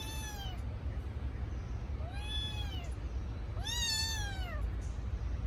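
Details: Kitten crying for its missing mother: three clear, high, arching meows, each rising then falling away, with rich harmonics, the last one longer and stronger, over a steady low background hum.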